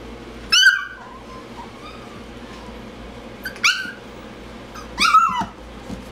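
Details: Miniature schnauzer giving three short, sharp yapping barks with a whining tail, spaced about one to three seconds apart, in a quiet room with a faint steady hum.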